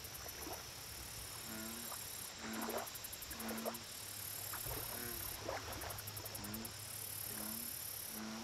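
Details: American bullfrog at a lake, giving low, droning harmonic croaks about once a second in a steady chorus, with high rapid ticking insects and a constant thin whine above.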